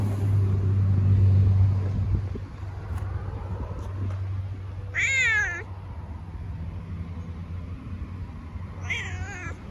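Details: After a few seconds of low humming tones, a cat lets out two sharp, wavering meows several seconds apart, the first the louder of the two.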